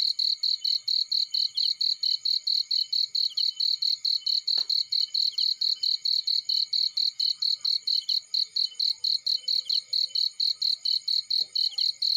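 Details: A field cricket calls beside a fire with rapid, piercing chirps repeated evenly several times a second across the whole stretch, broken only by a couple of brief faint clicks.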